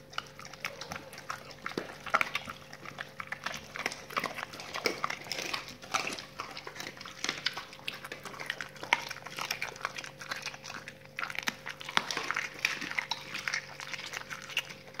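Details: Raw-fed dogs crunching through salmon bones and chicken carcasses, an ASMR recording: dense, continuous crackling bone-chewing and snapping for the whole stretch, with a low constant hum underneath.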